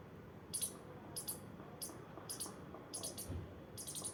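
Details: Playing squirrel makes brief, piercingly high squeaks, often doubled, repeating roughly every half second against a quiet, faintly humming background.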